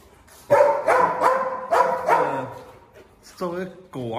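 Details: Limping Presa Canario, still acting as the pack's 'dog king', gives a run of about five heavy barks, then falls quiet as a man begins talking.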